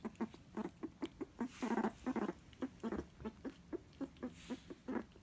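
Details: House meerkat eating its beloved jelly snack gives soft, evenly spaced short chirping calls, roughly three per second, with a faint rustle partway through; laughter follows.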